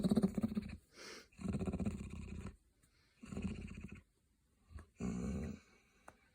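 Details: Grumpy hound dog making funny noises: low, rumbling grumbles and growl-like groans in four long bursts with pauses between, plus short breathy snorts.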